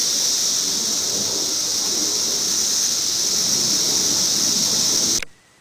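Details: Periodical cicada, recorded in 2008, giving a continuous high-pitched hissing drone that stays level for about five seconds and then cuts off sharply into near silence.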